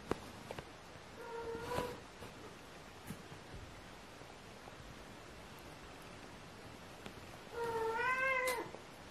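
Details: Aria the kitten gives two meows indoors. The first is short and flat, the second, about six seconds later, is louder and rises then falls. Soft rustling and taps fill the quiet gap between them.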